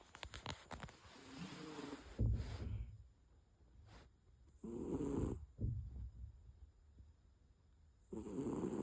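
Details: Sleeping cat snoring in low, rough breaths, with several irregular snore bursts separated by quieter gaps and some scattered rustling noise early on.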